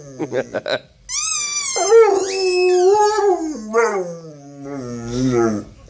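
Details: Yawk, a pet dog that hates his football's sound, gives a few quick yips, then a long drawn-out howl that climbs, wavers and slowly falls in pitch over several seconds.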